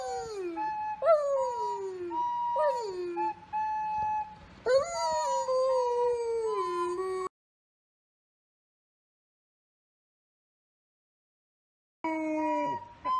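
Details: Male golden retriever singing along to a recorder, with repeated drooping howls sliding downward against flat recorder notes, a long sustained howl, a pause, then one more howl.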